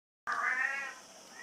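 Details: Brown Bengal kitten from a breeder on Mallorca, Spain, giving a single drawn-out meow with a strong harmonic stack that starts loud and fades into a quiet tail, recorded indoors.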